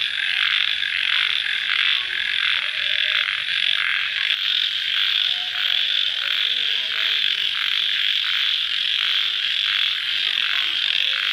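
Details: After rain at night, crickets keep up a continuous bright, hissing trill, its lower edge rising and falling in rhythmic pulses throughout, with scattered soft lower chirps.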